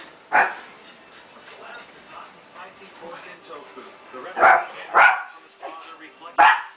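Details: Shiba Inu puppy Tako chasing Bobby the Pekingese in tag; scattered sharp barks, one early and a cluster of three toward the end, with low background voices and movement noise between.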